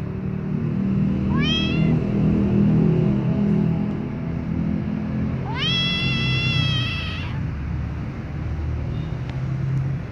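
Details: Two loud meows from a white kitten being licked by its mother among baby cats: a brief upward cry, then a longer sustained harmonic meow a few seconds later, over a low continuous hum.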